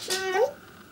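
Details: Chester the Pembroke Welsh Corgi, indoors, seeking attention with a single short talking whine that holds level, then bends upward at the end.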